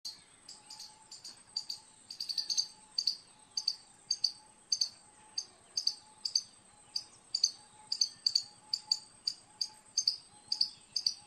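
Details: Squirrel calling with sharp, high chirps repeated about twice a second in a steady, insistent series, over a constant thin high-pitched hum and a faint, lower steady tone in the background.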